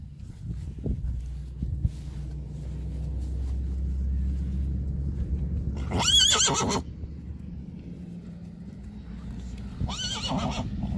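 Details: Young Friesian filly, first time out in the field, gives two loud whinnies, each a brief quavering harmonic cry about four seconds apart, over steady low rumbling background noise and scattered thumps.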